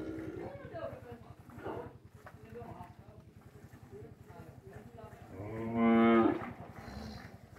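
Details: Cows in a corral in the morning during hand milking, with calves suckling their mothers: after a quiet stretch of faint shuffling, one loud, full, low moo rings out near the end.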